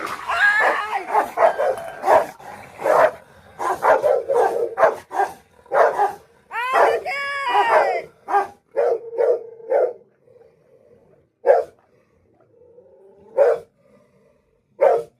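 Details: Two Rottweilers fighting: bursts of sharp barks and yips, irregular and crowded, with a rising whine near the middle, then sparser single barks, while a woman shouts at the dogs in Bengali over them.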